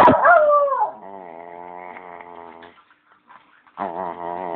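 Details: A male Bichon howls in long, drawn-out tones, asking for his bone, which he loves.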